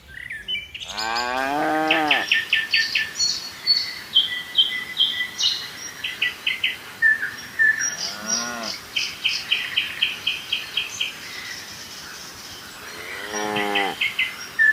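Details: Lowing from a herd of dozens of tame cattle bounding down a hillside on a mountain slope. Three drawn-out harmonic moos at roughly six-second intervals, with bright repeated bird chirps and twittering filling the gaps.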